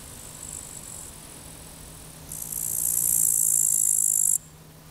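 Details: Field grasshoppers by the Zawadowski embankment on the Vistula, 15 August 2021, give a high, hissing buzz that swells loud and steady for about two seconds, then stops.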